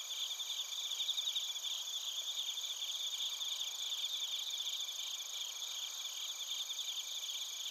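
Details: Steady, softer chorus of bell crickets and other crickets in Narita, Chiba, Japan, recorded with a TASCAM Portacapture X8: continuous high shimmering pulses layered at several pitches, with no other sounds.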